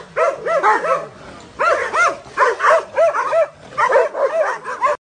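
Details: Doberman producing clusters of short, high, arched yelps and barks in three quick bursts separated by brief gaps.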